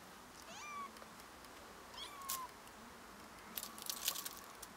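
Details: Helpless meowing from a small cat that has climbed up a tree: two drawn-out descending mews in the first half, followed by brief clicking and rustling sounds against a steady hiss.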